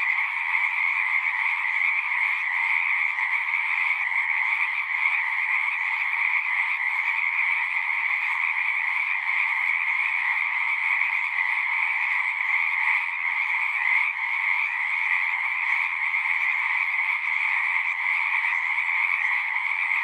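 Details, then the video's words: Frogs singing at a pond in a horse pasture, captured on a Zoom recorder: a dense, unbroken chorus of overlapping trills in two steady bands, one high and one lower, with no pauses across the whole stretch. "Frogs singing"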